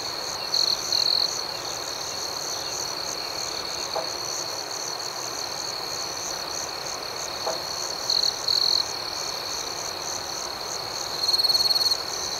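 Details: Crickets calling at night, a constant thin high trill broken by louder clipped bursts of fast chirps near the start, around eight seconds and near the end, with faint soft knocks in the background.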